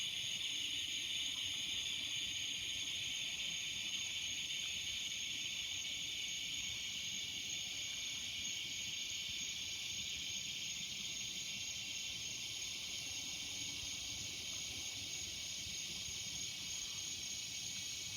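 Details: Cicadas among trees in the evening fill the air with a steady, high, hissing drone that never breaks.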